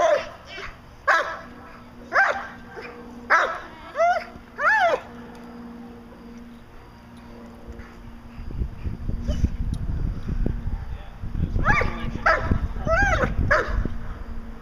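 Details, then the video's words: Young German Shepherd Dog, fourteen months old, in Schutzhund protection training: a run of about seven loud barks, then several seconds of quiet, then rough wind-like noise and a second burst of barks near the end. "14 month old German Shepherd Dog Achilles Vom Darland Haus doing Protection work for Schutzhund"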